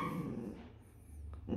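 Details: A six-year-old female poodle gives short, throaty barks and grumbles, seemingly talking back each time her owner calls her ugly and loud-mouthed.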